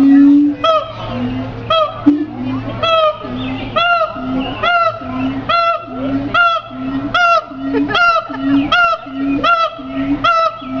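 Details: Siamang calling in a steady series of loud, ringing harmonic notes, each sliding slightly up and down, repeated about every half second, over a lower, steady droning tone that pulses in time with the notes.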